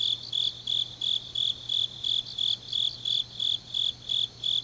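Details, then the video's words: On a deep autumn night in Changnyeong, South Gyeongsang, grass insects give bright, clipped chirps, about thirteen in a row at an even pace, with a faint low drone underneath. "깊은밤 가을 풀벌레 소리"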